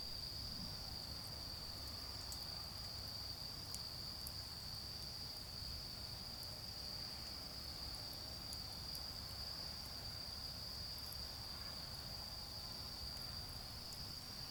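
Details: Autumn insects singing beside a garden bonfire: a steady, unbroken high-pitched trill runs through the whole stretch, with scattered crackles from the fire and a low rumble underneath.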